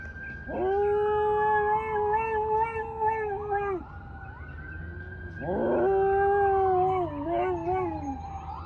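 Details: Domestic dog howling: two long, sustained tonal howls with rich harmonics, each rising sharply at onset then holding steady with slight wavering, the first lasting about three seconds, the second shorter and more wobbly; faint low background hum.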